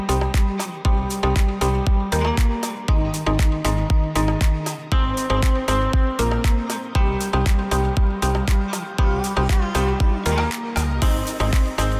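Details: Electronic dance music with a steady pounding beat, deep bass and repeated synth notes plays throughout, with no animal sound heard.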